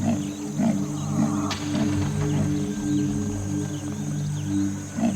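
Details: On the savanna, a female leopard calls to lure a male and so triggers a duel between the resident male and an intruder. Rhythmic rasping grunts repeat under loud background music.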